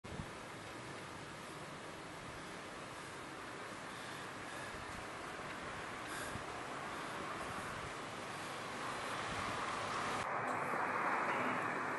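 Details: Rushing wind noise buffets the microphone outdoors in Jeonju, Korea, growing louder toward the end, with no animal sound heard.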